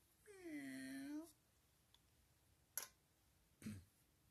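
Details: A friendly, playful cat gives one drawn-out meow lasting about a second, rising then falling in pitch with rich overtones, followed by two sharp clicking taps in a small indoor room.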